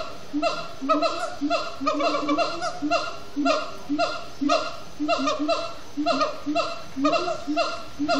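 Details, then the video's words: Siamang gibbons singing at sundown at Disney's Animal Kingdom, after brief frenetic play; loud repeated whooping barks with harmonic stacks, rising and falling in rapid overlapping bursts about once per second, a steady rhythmic chant. "Siamang gibbons at Sundown"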